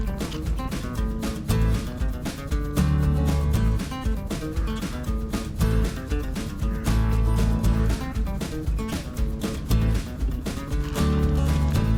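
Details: Steady guitar-led country music with plucked strings and a regular beat throughout; no animal sound is heard.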